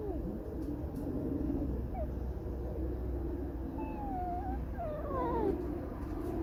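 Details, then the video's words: Fox squeaking and 'singing a sad song' in an irritated mood. Thin, whistled squeaks glide up and down, a few short ones early, then longer wavering ones near the end, over steady low background rumble. "Lisa Alicja piszczy, śpiewa smutną piosenkę / Алиса лиса Скрипит, поет заунывную песню"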